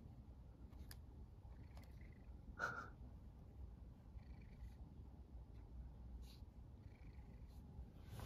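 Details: Domestic cat in a happy mood, purring as it waits for a girl reading manga to stroke it; continuous soft low purr, with a brief squeak midway and scattered light clicks and rustles.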